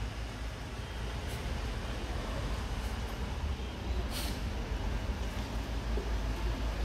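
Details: Low rumbling broadband noise, like traffic or a running engine, continues throughout with a few faint brief scrapes and no animal call.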